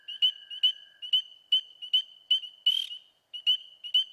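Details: A spring peeper (Pseudacris crucifer), eastern US, beginning to call: short, piercing, high peeps in quick succession, a sign of spring, over a steady lower trill of American toads in the background.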